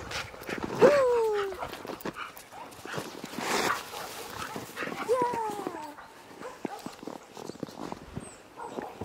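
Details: Jindo dogs Poreu and Ami on a countryside walk through snow that fell overnight; two drawn-out, descending whining cries about four seconds apart, each with clear overtones, over steady crunching footsteps in the snow.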